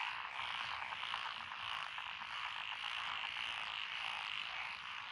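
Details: Unbroken massed calling of frogs in Echizen's lotus paddies, Fukui, 12 June 2021: fast pulsed croaks merge into a thick buzzing wall of sound, with a faint high insect hiss.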